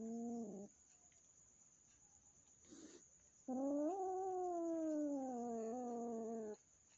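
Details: Domestic cats at home, a newly adopted kitten from a friend still fearful of the resident cat: a short low yowl, then a drawn-out harmonic caterwaul of about three seconds that rises slightly before sliding down, with a brief rustle between.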